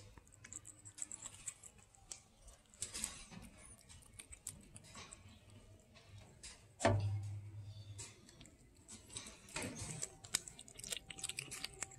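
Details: Indoor clicks, taps and a low hum with no animal voice. Brief rustles and clatters come and go over a steady low background.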